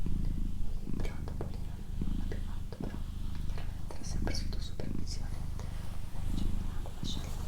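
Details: Doroti, a female domestic cat in a small indoor room, purring with a continuous deep rumble, briefly dipping now and then, beneath gentle whispering and faint rustling.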